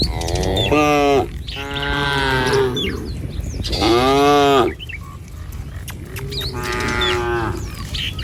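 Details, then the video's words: Tame village cattle, herded in a line across a wooden bridge along a wet rice-field path toward grazing land, give three long harmonic moos, each dipping then falling away, with bright bird chirps scattered between them. "Gembala Krumunan Sapi Lembu Jinak Berjejer Melewati Jembatan Kayu Menuju Rumput Sedap Suara Moouu"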